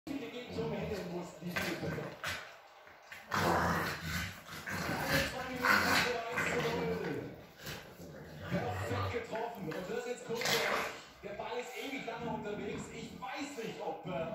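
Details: Bulldog playing with a female Ridgeback mix in a living room, a mock 'fight': rough growls and short bark-like vocal bursts come in uneven clusters, with people talking throughout.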